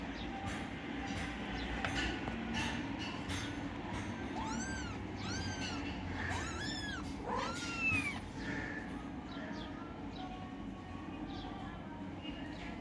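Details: Kittens fighting over food give a burst of several high, arching meows in close succession, some overlapping, midway through, over steady low background noise.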